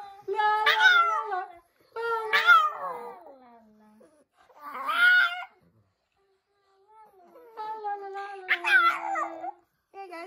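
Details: An 11-year-old female Pekingese "sings" along when her owners sing "la la la", howling in wavering, rising and falling tones in four drawn-out bursts; recorded two days before she fell ill.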